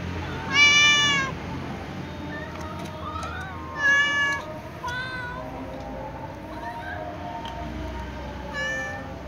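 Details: Calico cat meowing beside a yawning white cat before they eat together; three loud, bright meows spaced several seconds apart, each slightly rising then falling, with quieter chirpy sounds and a steady background hum between them.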